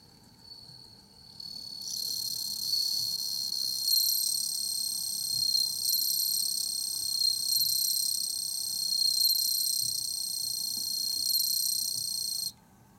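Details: Bell cricket singing on 15 September 2021: a loud, continuous, shrill ringing trill with a slightly wavering, pulsing texture. It starts after a short quiet lead-in, holds steady for about ten seconds, then stops abruptly.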